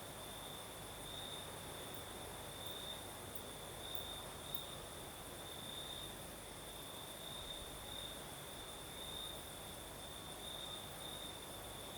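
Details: Crimean crickets sing at night in the south while a night breeze blows, giving a sustained high trill punctuated by brighter bursts, layered over even broadband wind hiss and low background rumble.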